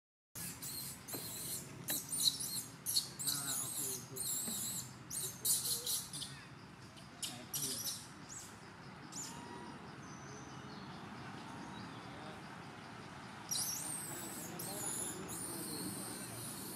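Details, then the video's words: Skinny infant monkey Jovie among the temple monkeys of Cambodia, yelling to alert its mother and ask for milk before she nurses it: shrill, high screeching bursts in quick clusters over the first six seconds, then quieter, with a low background hum. "Poor Skinny Monkey Jovie Alert Mom With Yelling For Request Milk"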